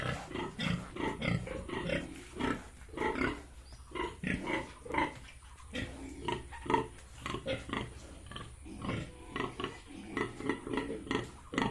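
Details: Yorkshire and Hampshire pigs at a farm in Bongaigaon, Assam, giving steady rough grunts in quick succession, several animals overlapping, with a continuous low rumble beneath.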